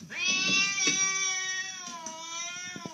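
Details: Domestic cat giving a long, loud, drawn-out meow with a rich stack of harmonics, holding steady then sliding slightly downward for nearly three seconds, with faint background noise.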